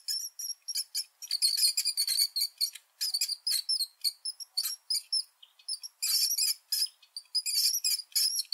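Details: Rats giving dense runs of shrill, high squeaks, rapid chirping bursts that crowd together and then break off with short pauses, all very thin and piercing with no low sound beneath.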